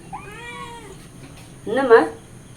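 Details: A hungry cat begging for milk gives one clear, drawn-out meow that slides gently downward, followed by a short burst of louder voice-like sound.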